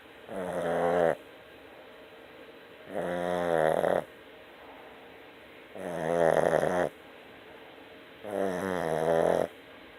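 A Boston Terrier snores in slow, rattling breaths, each lasting about a second, roughly every three seconds.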